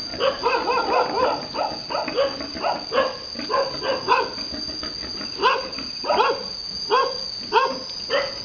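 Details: Boar mating a virgin sow on a Vietnamese pig farm; short arched, harmonic grunts repeat roughly once a second in uneven runs, over a steady high electrical-sounding whine.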